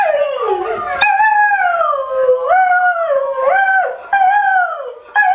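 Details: A rescue greyhound howling in sympathy with other dogs heard online; long, loud, wavering howls that slide up and down in pitch, with brief breaks between drawn-out notes and no other clear sounds.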